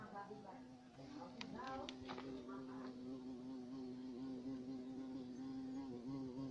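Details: Large black carpenter bee giving a higher, steady buzzing hum after a few sharp clicks at the start, tone holding level with slight wavering to the end.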